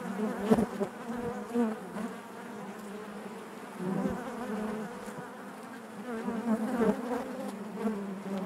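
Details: Honey bees inside their hive, a continuous low droning hum with a steady fundamental and stacked harmonics, swelling in brief louder surges as individual bees pass close, no other sounds present.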